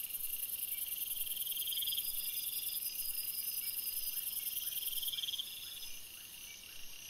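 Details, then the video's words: At night in a forest, crickets keep up a very high, shrill pulsed trill for about five seconds, then it stops, while lower steady trills carry on underneath. "Crickets Sounds, Night Sounds"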